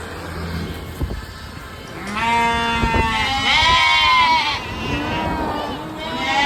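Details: Sheep bleating in one long quavering, harmonic cry lasting about two seconds, rising slightly then falling, followed by a softer trailing bleat, with low background rumble.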